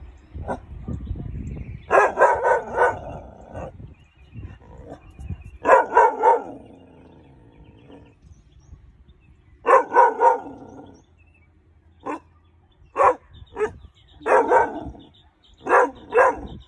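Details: A male Weimaraner puppy under five months old barks in short, rough bursts, sounding the alarm at a perceived intruder.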